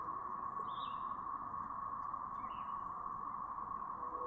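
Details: A brood of cicadas in Chapin, South Carolina, on 7 May 2024, fills the air with a steady, droning, siren-like whine that never lets up.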